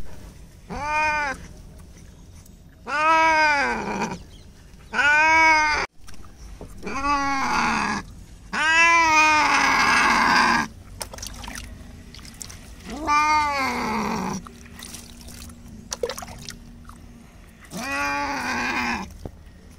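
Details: Simba, a Bengal cat, cries while being bathed in the open because he is scared of bathing in the bathroom. He gives about seven long, drawn-out, wavering meows, spaced a couple of seconds apart, with a brief hiss of water between them.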